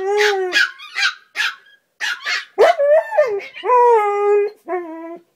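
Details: Morning play between a husky and a chihuahua: loud yelping and howl-like cries, several short sharp yips followed by longer, steady, tonal wails that bend up and down.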